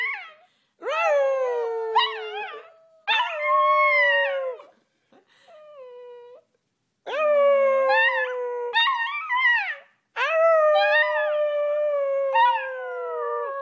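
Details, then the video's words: Several puppies howl together, drawn-out wavering tones layered with bright harmonics, bursts lasting one to three seconds, a quieter thin howl in the middle and overlapping voices near the end. "CUTE PUPPIES HOWLING COMPILATION"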